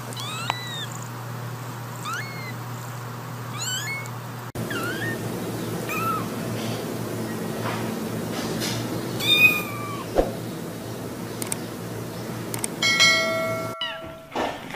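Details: Cat making small, thin, high meows with upward-sweeping pitch, a few seconds apart, faint against background room noise and clattering.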